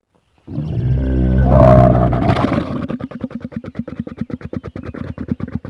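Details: Camel giving a deep, harmonic groaning moan that swells for about two seconds, then breaks into a rapid, rattling gurgle of pulses, roughly three or four per second, continuing to the end.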